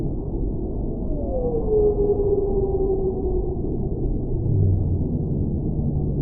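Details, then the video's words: Whale voice in a long, drawn-out descending moan with a faint higher companion tone, followed later by a short low groan, all set against a steady muffled underwater-like rumble. "Whale Sounds"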